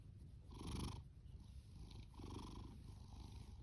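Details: Fasu, a male orange tabby rescue cat born October 2019 and adopted July 2020, snores while purring: a low continuous rumble with two strong raspy breaths, the first louder, about one and a half seconds apart.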